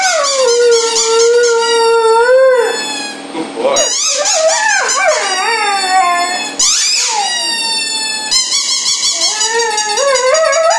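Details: Tyson, a dog, opens with a long, steady, mournful howl of about three seconds, then breaks into warbling, yodel-like swoops and wavering notes, with a few brief pauses, indoors.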